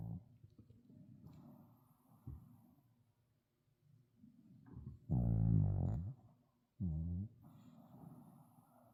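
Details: Snoring from Sebin, a tired Shih Tzu, in a small room: soft, low breathing rumbles, then two loud throaty snores a second or so apart, each with a buzzing rattle.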